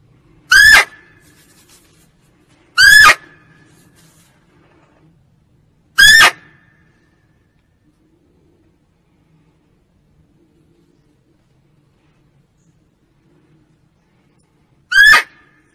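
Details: Female barking deer calling, a sound used to lure deer when hunting: four short, sharp, loud barks, each a brief nasal yelp. The first three come about every three seconds, then there is a long silent gap before the last.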